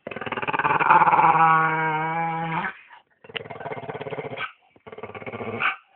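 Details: Staffordshire Bull Terrier gives a long, tonal, whining growl of over two seconds that trails off, followed by two shorter, pulsing, rattly grumbles separated by brief silences.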